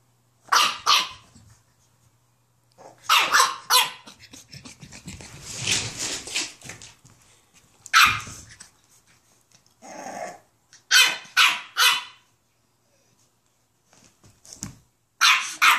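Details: Sassy 8-week-old French bulldog puppy, newly brought home in 2015, telling off its large elderly Rottweiler big sister indoors; sharp, high, yappy barks in short bursts with a rougher growling stretch, separated by pauses, and a person calling out briefly.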